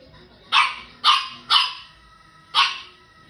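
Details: French Bulldog Elton, a small pet dog, gives four short, bright barks, the first three roughly half a second apart and the fourth after a one-second gap, each with a brief falling tail.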